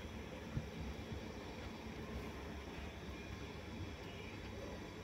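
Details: Steady broadband hiss like distant traffic, with a faint low rumble and no animal sound.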